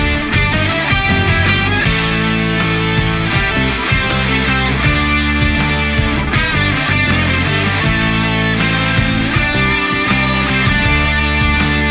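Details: Heavy rock music with driving guitars and drums plays throughout, with no animal sound.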